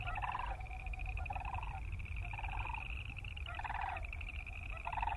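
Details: Boreal chorus frogs croaking: a steady buzzy pulsed trill chorus runs throughout, broken by louder, ratchety bursts of about half a second, four or five in a row, over a low rumbling background.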